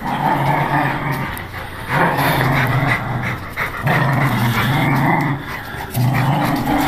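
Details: Angry pit bull gives deep, droning growls that swell and fade in uneven bursts roughly every second or two, over steady low background rumble.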